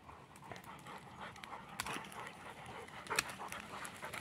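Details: English Springer Spaniel on a Sunday walk, panting steadily in quick, breathy, rasping bursts with a few louder huffs near the middle and end.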